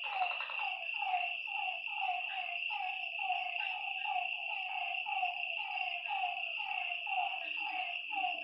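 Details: Frogs croaking after dark by a lake, a steady run of short descending notes about once a second from several animals, set against an unbroken high-pitched insect trill.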